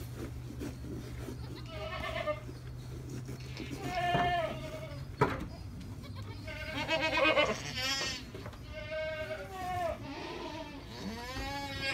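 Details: Higher, thinner bleats in a goat birthing scene, an Alpine goat delivering triplet kids; several short wavering calls, some rising and falling, over a low hum with a sharp click.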